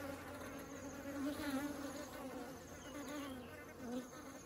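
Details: Crowd of honeybees flying honey into their hive, a thick buzzing drone with wavering pitch that swells briefly as bees approach closely.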